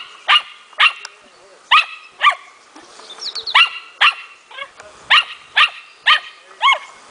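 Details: Smooth fox terrier puppy, four months old, showing its hunting instinct during playful hunting training: sharp, high yapping barks with rising-falling tone, fired in quick bursts about twice a second with brief pauses between groups.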